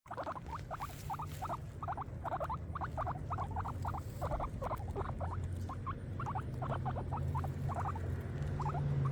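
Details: Several pet guinea pigs eating grass: rapid, crisp munching clicks in quick irregular bursts of two to four, continuing steadily throughout over a low steady hum.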